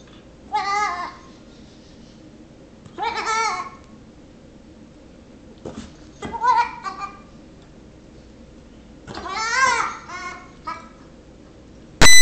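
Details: Nigerian Dwarf baby goat, six weeks old, teasing a patient Yorkshire Terrier indoors; four separate wavering bleats spaced a few seconds apart, ending with a sharp loud thump.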